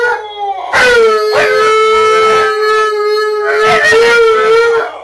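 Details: Siberian Huskies, three dogs, singing together in a loud, sustained howl that holds an even pitch for about four seconds, several voices layered, with a slight rise near the end before fading.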